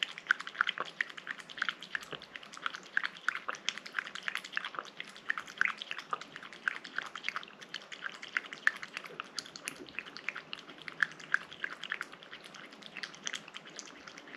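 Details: Pet cat eating a wet treat indoors, close-up: rapid irregular wet clicks and smacks, about three per second, steady throughout with sharp bright transients.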